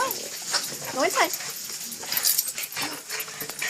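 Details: Ladybug, a small excited dog, greets its returning owner after an hour's absence with a few short, squeaky rising-and-falling whines around the middle, mixed with a person's chatter and household rustling.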